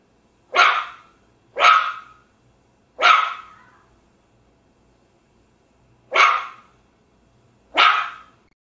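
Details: Small dog giving five short, sharp barks at uneven intervals, three in quick succession, then a gap of about three seconds before two more, each high and clipped with a brief decaying tail, over a quiet background.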